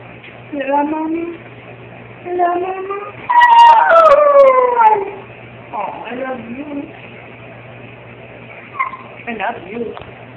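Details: Dog pup named Silas howling together with his mother indoors: wavering, harmonic howls rising and falling, several drawn-out overlapping notes with short yips and whimpers between them.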